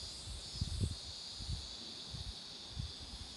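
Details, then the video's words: Short take of roadside cicadas among blooming marigolds, an unbroken shrill whine sustained throughout, with scattered soft low thuds of wind or handling noise. "매미소리도 들어 보세요"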